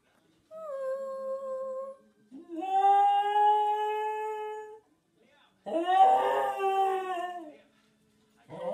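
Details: Cocker Spaniel howling like Chewbacca: three drawn-out, tonal howls of one to two seconds each, the second rising then holding steady, the last wavering and rougher, separated by short silent pauses.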